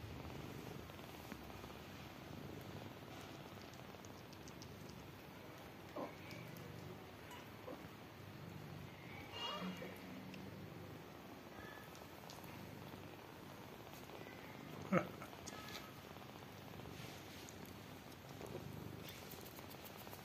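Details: Tired mother cat with her newborn kittens, which want to drink milk; a steady low rumbling purr runs throughout, with a brief higher meow-like sound near the middle and a sharp click toward the end.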